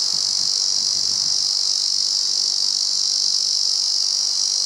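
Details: Male Ezo cicada singing at the summit of Mount Rokko: one continuous, even, shrill buzz held without a break, with faint wind noise at the start.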